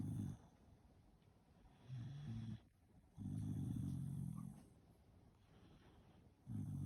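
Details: A Shiba Inu snores while sleeping, making four low, rough, droning snores of uneven length spaced roughly one and a half to three seconds apart, with soft breathing between them and a faint steady hiss.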